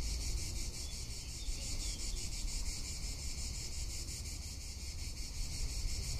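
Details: Cicada in summer in Tuscany, a high, shimmering buzz pulsing rapidly and steadily throughout, over a low rumble of wind noise.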